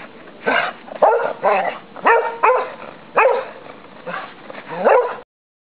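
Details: Two English Cocker Spaniels running riot in a snowy garden in December give a run of short, excited barks and yips.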